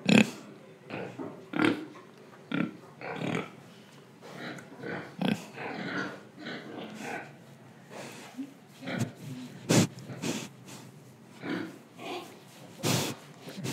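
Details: Pig in Indonesia grunting, breathing and eating: irregular low oinks and snorts, rustling and chewing noises, uneven bursts of rough broadband sound with short gaps between them.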